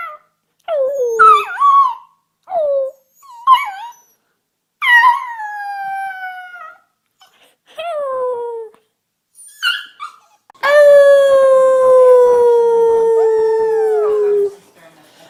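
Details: Puppies learning to howl: a run of short yelping, bending cries that grow into longer falling howls, ending with one steady drawn-out howl lasting about four seconds.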